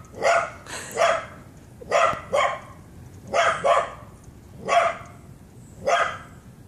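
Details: Two dogs, a Shiba Inu and a Pit Bull, chasing each other in a backyard during an excited reunion; paired sharp barks repeated roughly every second, loud and clear over faint background hiss.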